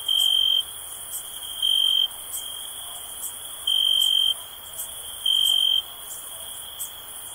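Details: Steady high cricket trill for relaxation. Four brighter half-second pulses rise out of it at uneven gaps of about one and a half seconds, with light ticking in the background.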